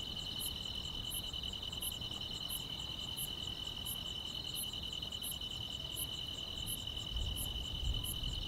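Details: On a calm rural summer night, grass insects keep up an unbroken high trill with regular piercing chirps about every 0.7 seconds; a few soft low thumps sound near the end.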